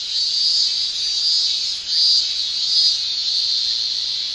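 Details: Japanese summer cicadas shrilling, the male tymbal song forming an unbroken high-pitched hiss with gentle, uneven surges and one brief dip in loudness midway.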